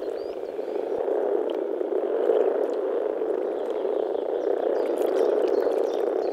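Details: Many frogs calling together in spring in the Czech Republic, a dense, unbroken low croaking chorus that hums steadily through all six seconds, with faint high ticks above.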